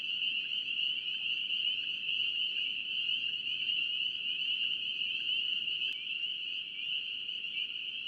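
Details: Spring peepers in North Carolina calling as a dense chorus: countless high, shrill peeps merge into one steady, ringing drone that hardly varies across eight seconds, with no other clear sounds.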